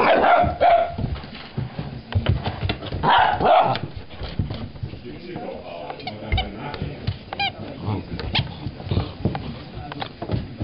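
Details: Farina, a Vizsla puppy, vocalizing at the squeaky toy under the sofa: two tonal yelps a few seconds apart, a brief high squeak of the toy near the end, and steady household rustling and voices.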